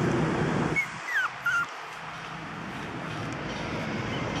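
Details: 45-day-old toy poodle puppies, running and playing, give a few thin, high squeaky whimpers that slide up and down over steady background noise.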